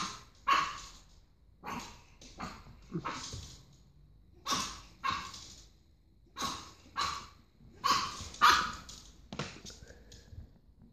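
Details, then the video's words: Pug puppy barking indoors, about a dozen short, sharp, broadband barks at uneven intervals of roughly half a second to a second, some in quick pairs, with quiet gaps between. "Pug puppy barking"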